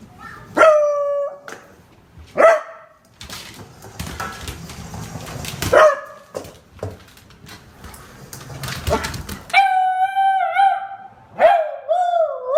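A beagle gives short yelping barks, then a long drawn-out baying howl that wavers at the end.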